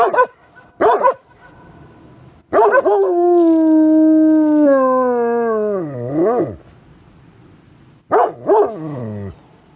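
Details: Farm dog howling after a village fire siren sounded, although he seldom howls: short yelps, then a long steady howl that wavers and swoops downward near its end, with a few more yelping notes afterward.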